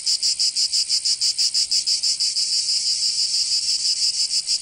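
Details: Summer cicada song from Provence in the south of France, a loud shrill rasp throbbing in quick regular pulses about three per second, unbroken for the whole stretch.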